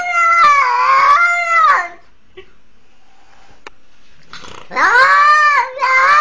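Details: Kitten that survived a leashed pitbull's attack after following its mother outdoors at twenty days old, crying for help: long harmonic wailing meows, a wavering two-second cry, a quiet gap, then rising, bending yowls indoors.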